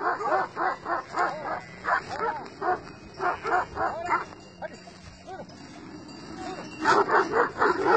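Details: Flock guard dogs, Kangals and shepherd dogs of two sheep flocks, squaring off and challenging one another; fast repeated deep barks in bursts, a pause with quieter sounds midway, then another rapid volley near the end.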